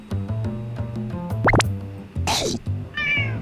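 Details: An elderly black rescue cat, about 8 to 10 years old, at a cat cafe near Kyobashi Station in Osaka. She is being stroked and mixes affection with play-biting. A short, falling meow and a quick rising squeak sound over steady background music.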